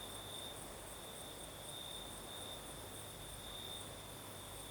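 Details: Crickets singing at night in the south of Crimea: a steady high-pitched trill with faint pulsing, a thinner higher shimmer above it, over the soft broad hiss of a night breeze.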